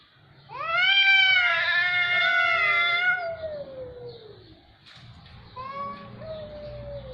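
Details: A cat gives one loud, drawn-out yowl lasting about three seconds. It rises sharply, then holds and droops into a low moan. Softer wavering meows follow over faint background noise.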